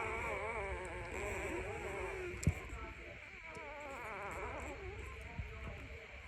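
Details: A puppy crying at morning, giving wavering, tremulous whines that rise and dip repeatedly, interrupted by a sharp knock midway, with low background rumble.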